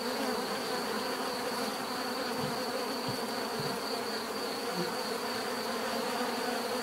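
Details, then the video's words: Steady, unbroken buzzing of numerous bees, a rich humming wash with layered low drones and a faint high whine on top, the loudness staying level from start to finish. "bees therapy relaxing natural buzzing sound"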